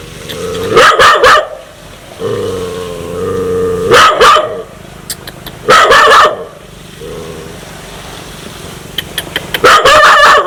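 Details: An aggressive dog ready to bite people snarls in low, drawn-out growls between loud clusters of harsh barks, about four bark bursts spread over ten seconds.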